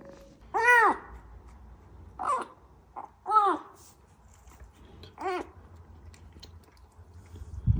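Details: Small kitten found alone among flowers in front of a house entrance, crying persistently; four loud arched meows with rich harmonics, each rising then falling, spaced one to two seconds apart, in a quiet indoor-sounding setting.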